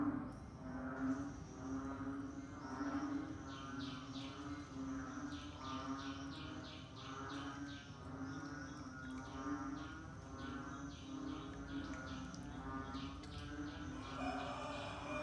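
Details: Frogs calling in the rainy season: a dense chorus of short pulsed notes repeated roughly once a second, layered over a steady low droning hum and fainter overlapping callers.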